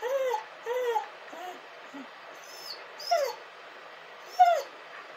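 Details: Whining dog: a pair of arched whimpers, then softer, lower cries, followed by thin, high, sharply falling yelps spaced well apart.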